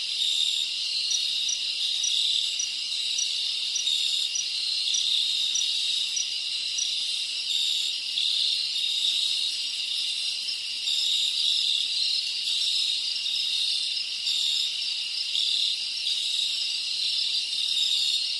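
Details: Numerous crickets in the rainforest of the Dominican Republic produce a steady shrill drone, overlaid by evenly spaced pulsed chirps that return every couple of seconds over a long stretch.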